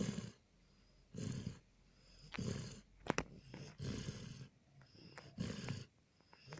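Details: Border Collie Jon snoring in his sleep, recorded 14 April 2018; rhythmic rasping snores every second or so, low and gravelly with breathy hiss, plus one brief sharp click midway.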